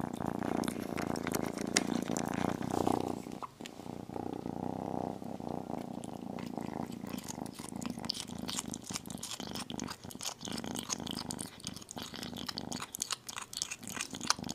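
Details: Kitten feeding on chicken. A loud, even purr fills the first three seconds, then thins into a softer rumble under a busy stream of clicking, chewing and licking noises.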